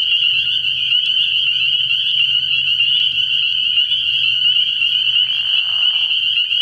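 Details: At a frog pond after dark early in the year, many spring peepers give continuous high, ringing peeps, layered and relentless, over a faint low drone, with a short rasp near the end.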